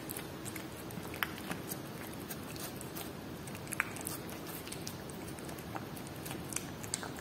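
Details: Whiskas salmon being eaten by a pet cat: dense crisp biting and chewing ticks, a couple of distinct louder crunches, in a small quiet room.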